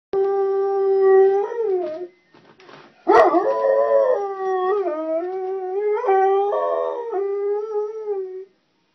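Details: A hound dog howling along with an ice cream truck: long, loud, tuneful wails with a wavering pitch that dips and rises. It breaks off briefly after two seconds, then resumes in a sustained, bending howl.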